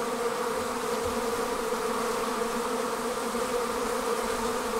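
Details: Honey bee swarm departing its hive: a dense, continuous buzz of many wings, steady in loudness throughout, with a strong drone tone and layered overtones and no other sounds.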